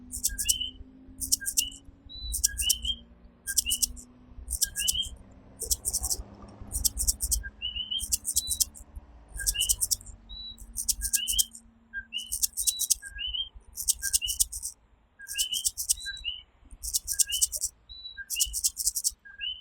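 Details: Coquí tree frogs calling at night in Puerto Rico: two-note rising co-QUÍ calls repeat throughout. Loud, regular high buzzing bursts from insects arrive about every one and a half seconds, with faint low hum behind.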